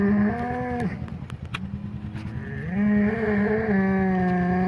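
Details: Two polled Hereford bulls of the Secret Weapon bloodline, mixed on pasture after the breeding season, fighting while getting re-acquainted; two long, low, drawn-out moos, the second rising slightly before levelling off, separated by a short pause with scuffling noise.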